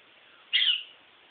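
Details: A Toy Poodle named Sugar, a female in heat, gives a single short high whine lasting about a quarter second, bright and slightly falling at the end, against a quiet background.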